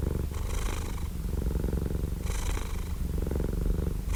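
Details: Close, rumbling purr of a cat, a deep vibrating drone with softer breathy swells near the start and middle, steady in volume throughout.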